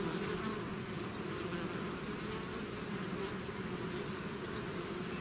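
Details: Dense, even hum of a bee swarm emerging from its hive, many overlapping buzzing wings forming a steady low drone with no other sounds.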